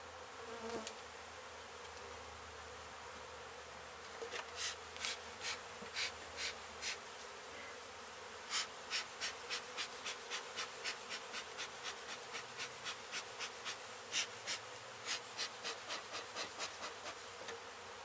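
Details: Honey bee colony disturbed by demolition work at an abandoned home in Mission, Texas, giving a constant humming drone, overlaid after a few seconds by a regular series of sharp clicks about twice a second.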